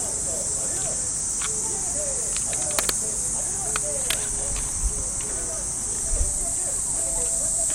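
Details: Cicadas in Japanese park trees on an early summer morning give a dense, steady, sizzling high drone. Faint radio calisthenics music drifts from afar, with light taps and footsteps on the path.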